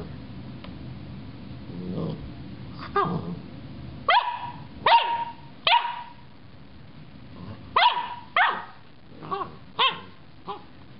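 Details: Loki the dog, acting strangely toward a carrot top, lets out irregular sharp barks, isolated at first, then in quick pairs and a closing burst of shorter yips, over a low room rumble.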